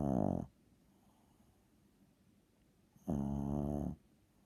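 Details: Loud snoring from a small seven-pound dog indoors: two gravelly, buzzing snore bursts about two and a half seconds apart, the second lasting nearly a second, with quiet between.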